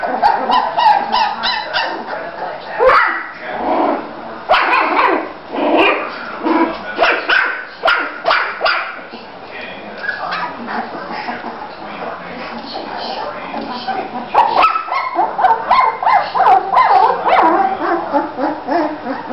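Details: A litter of three-week-old Bulldog pups in Florida, males and females, playing and moving about, letting out rapid, irregular high-pitched yips and little barks in busy bursts throughout, with faint human speech underneath.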